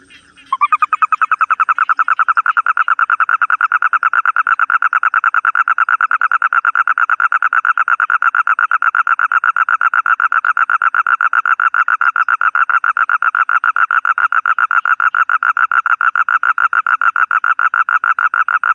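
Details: Toad giving a long, unbroken trill of fast, evenly spaced pulses, steady and mid-pitched, beginning abruptly and continuing without pause for about eighteen seconds with a faint high whine in the background.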